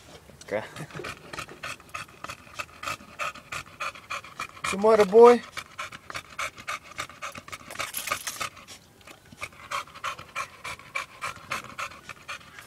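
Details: American Bully panting in fast, steady breaths, about three per second, as rhythmic breathy bursts; a man briefly speaks Spanish midway, with faint background noise throughout.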